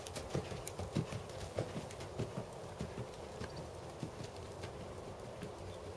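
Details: A seven-year-old black Percheron/Thoroughbred cross gelding working in dressage; dull low hoof strikes land in rough rhythm, clearest in the opening two seconds, then fade to softer footfalls against a constant low hum.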